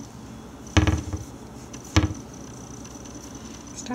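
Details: Two sharp knocks or thuds about a second apart indoors, over a faint steady hum, with no meowing or other animal voice.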